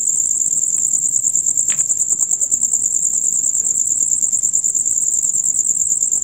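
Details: Dusk-to-dawn chorus of male crickets: steady, shrill, rapid pulsed chirping, about three pulses per second, with one short faint squeak near the start.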